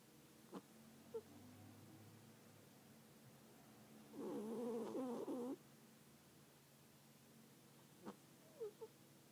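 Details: Sleeping domestic cat snoring: a single rasping, fluttering breath of about a second in the middle, with a few soft clicks and faint nasal ticks before and after against a quiet room hum.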